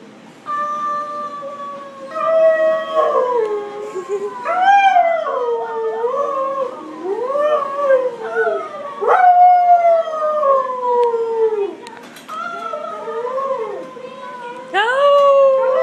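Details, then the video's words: Husky howling in the Petco grooming salon: long, smooth, wavering howls that slide up and down in pitch, rich in harmonics, one after another with short pauses, some ending in brief yips and whimpers. "Howling husky"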